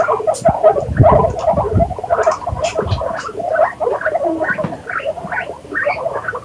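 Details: Guinea pigs make short, mid-pitched squeaks and chirps in quick succession, with soft low rumbling thuds early on and brighter, higher chirps toward the end.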